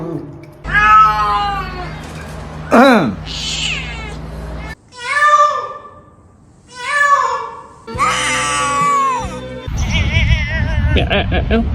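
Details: Domestic cat making strange sounds: a series of drawn-out meows that bend up and down in pitch, some wavering and some sharply falling, separated by pauses, over background music and people talking.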